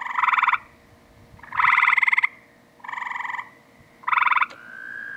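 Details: Tree frogs in a pool giving their mating song: four loud pulsed rattling bursts of about half a second each, spaced roughly a second apart, ending in a drawn-out tone, over a low background hum.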